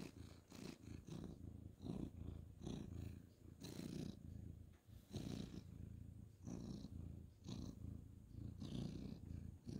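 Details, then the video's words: Male ginger tabby cat purring while being petted on the bed at bedtime, 2/11/2023; a steady, low rumbling purr runs throughout, broken by brief rustling bursts from hands stroking fur and bedding. "cute ginger tabby cat petting purring"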